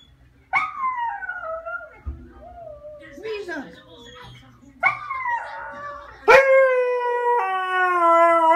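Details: Siberian husky crying: a series of wavering, downward-sliding harmonic whines and moans, ending in a loud, long, sustained wail that holds steady for the last two seconds.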